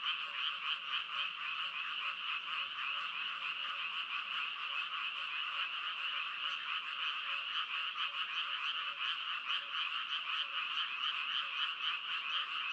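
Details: A continuous frog chorus: many rapid, buzzy croaks overlap into a steady shimmering drone, with faint, regularly repeated lower notes beneath.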